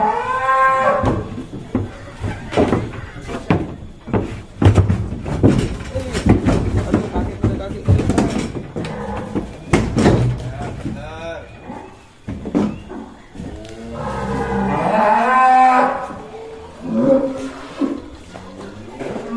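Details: Si Plonco, a huge bull from Kelonthong Farm, being led out of its pen, gives a deep drawn-out moo near the end amid heavy clattering, thumps and men's voices.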